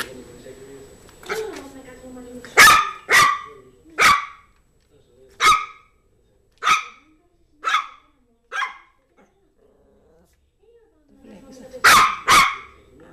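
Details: Yorkshire Terrier Zizel, a female pet, barks while playing with her new mouse toy: a run of sharp, bright yaps spaced about a second apart, a short pause, then a final doubled bark, with faint low murmuring at the start.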